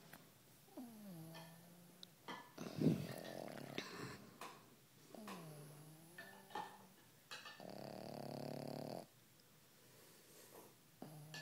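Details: Sleeping pug snoring softly, with soft whistling inhales alternating with harsher, buzzy rattling breaths, several cycles spaced a few seconds apart, plus a brief sharp snort-like noise.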